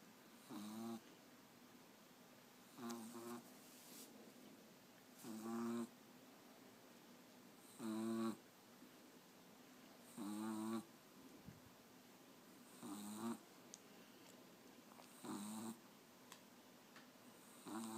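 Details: French Bulldog puppy asleep with his teddy, snoring steadily: low, rasping breaths recur about every two and a half seconds, seven or eight in a row, with quiet hiss between.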